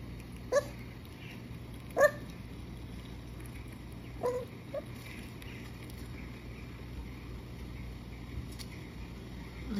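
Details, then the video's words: Maltese puppy Louie whimpers while watching squirrel videos on a laptop indoors: three or four short, sharp, high whines spaced about two seconds apart, then quiet room noise. "MALTESE PUPPY REACTING TO SQUIRREL VIDEOS"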